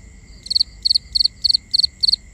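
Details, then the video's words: Night cricket chorus recorded binaurally: a near cricket repeats short high chirps of three to four pulses, about every third of a second, above a continuous thin high-pitched drone from other insects. "Cricket Conversations | Binaural Nighttime Ambience"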